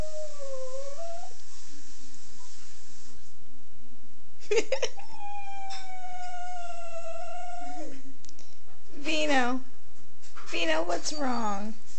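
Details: Italian Greyhound whining plaintively, with a rising cry at the start and a long, level whine in the middle, broken by bursts of rustling and short yelping sounds.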